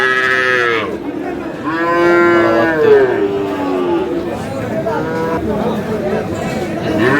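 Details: Sahiwal bull bought by a Kurigram farmer on 5 May: repeated loud, drawn-out harmonic moos, several overlapping bellows rising and falling, with faint crowd chatter in the background.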